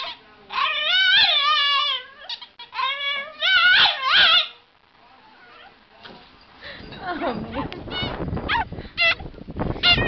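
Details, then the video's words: Boston Terrier crying, with several drawn-out, quavering whines in the first half, followed by quieter scattered yips under rustling noise and a low murmur of voices. "funny cute dog crying"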